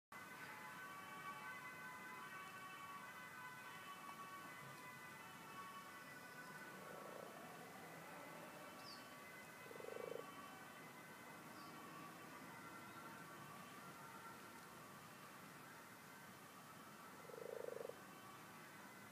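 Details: Frogs in a rustic garden pond, twelve in total, give a few low, rounded croaks near seven, ten and seventeen seconds over a steady background hiss, with faint high chirps in between.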